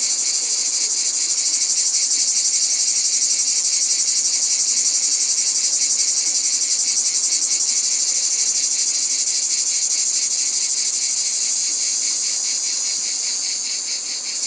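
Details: Continuous cicada chorus outdoors: an intense, sizzling high buzz with a rapid rhythmic throb, holding steady for the whole stretch and fading slightly at the very end.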